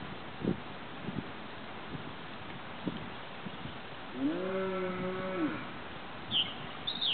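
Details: Mother cow defending her calf from a group of vultures on a farm, filmed from a neighboring property: one low, drawn-out moo of about a second, steady then fading, with faint knocks before it and bird chirps just after.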